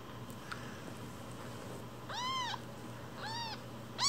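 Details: One-week-old foster kittens, Cookie and Nan, umbilical cord still attached: two high, arched mewing cries about a second apart, the second softer, over a quiet room hum.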